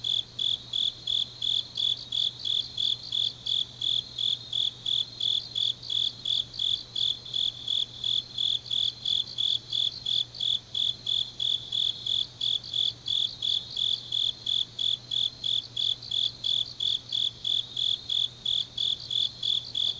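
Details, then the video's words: Deep-autumn-night grass insect song from Changnyeong, Gyeongnam, Korea: a continuous run of rapid, shrill chirps, roughly three per second, evenly spaced throughout, over a soft steady low drone. "깊은밤 가을 풀벌레 소리"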